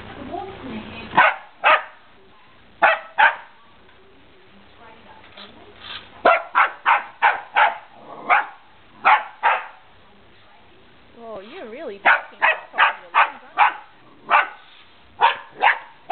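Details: Remy the dog barks at a remote control car, sharp broadband barks in irregular bursts, about two dozen across the stretch, with a man's voice talking in a quieter gap midway.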